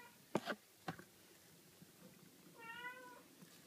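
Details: Scottish Fold kittens, six days old, sleeping indoors: two soft knocks, then one short thin wavering mew lasting about half a second near the end, in a quiet room.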